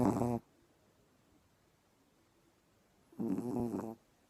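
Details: Sleeping female dog snoring after getting up very early, two short harmonic snore bursts separated by about three seconds of quiet in a small room.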